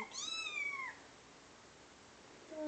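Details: Pet cat indoors meowing while reacting to kitten sounds from a phone: one clear drawn-out meow sliding down, then quiet room, then the start of another call.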